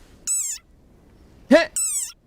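A desert rain frog gives shrill, nasal squeaks that slide downward, like a squeezed toy.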